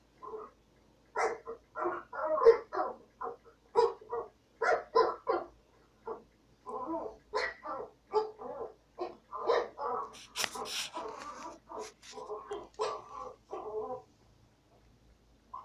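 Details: Shorty the dog barks nonstop after hearing a dog bark, with around two dozen quick, mid-pitched barks in rapid runs that grow denser and noisier toward the end before fading to silence.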